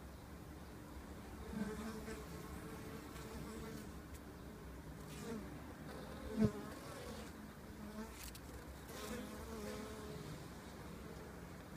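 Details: Honey bees at the entrance of an observation hive built into a window frame in early spring. A soft, steady low hum carries faint passing buzzes and one sharp tap partway through.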